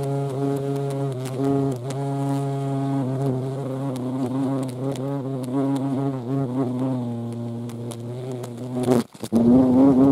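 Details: Steady, deep droning buzz of a European hornet (Vespa crabro), layered with harmonics. It holds fairly even for about nine seconds, then breaks off abruptly and resumes with a slightly higher, rising hum.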